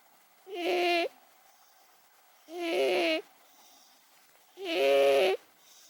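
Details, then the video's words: Sleeping 18-year-old pet cat Momo snoring: three even, rasping, harmonic snores about two seconds apart, each lasting around half a second to a second, steady and rhythmic against a quiet indoor background. "モモ 18歳 ～ ひたすら いびき!! 編 ～"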